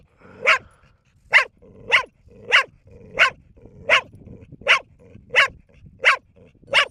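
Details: Four-year-old female dog barking almost nonstop after a long barking session, mouth foaming; sharp barks repeated about every 0.6 seconds in a steady run of roughly ten, quiet between barks.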